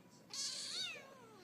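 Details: House cat vocalising at its owner: a short, bright meow that rises and then slides downward, with a hissy upper edge, heard indoors.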